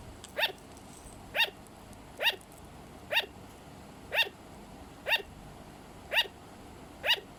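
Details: Pet sugar glider giving sharp, yapping barks, each a bright harmonic note with a falling tail, repeated steadily about once a second with quiet gaps between.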